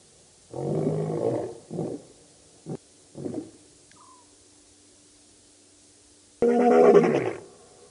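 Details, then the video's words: Birmingham Boys lions roaring by the dam, Djuma Game Reserve, Kruger Park area, South Africa, August 2016; a deep roar, a few shorter grunts, a long quiet gap, then a sudden loud roar burst. "Birmingham Boys roaring at the dam"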